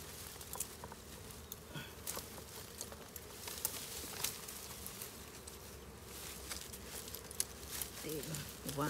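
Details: Wild bees at a forest hive, collected by people who blow smoke to drive them out; a steady low droning hum runs throughout, with scattered rustles and clicks, and human voices near the end.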